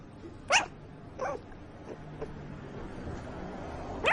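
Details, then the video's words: Soft, breathy yips from a puppy asleep, spaced irregularly: one clear squeak, a fainter one under a second later, and another at the very end over a low steady hum. "Puppy Makes Adorable Noises While Sleeping"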